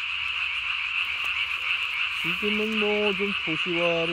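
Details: Japanese tree frog calling at night on 3 May 2020, its vocal sac inflated under the chin to nearly body size; a steady high chorus hum runs throughout, then harmonic, wavering croaks begin after two seconds in two short bursts.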